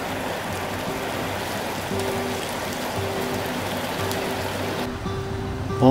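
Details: Background music plays over the steady patter of rain, and no animal voice is heard.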